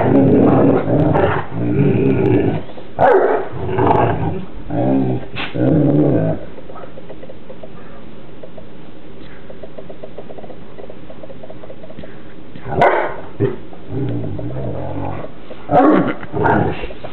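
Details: Two Newfoundland siblings wrestle in play, trading deep, throaty growls and grumbling barks in dense bursts through the first six seconds. A quiet stretch follows, then fresh growl bursts near the end. Their romping noise resembles seals.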